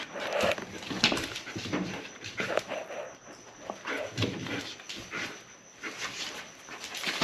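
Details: German Shepherd at play, giving rough breathy puffs in irregular bursts, roughly eighty-seven per minute, with a few short whimper-like tones mixed in and some handling noise.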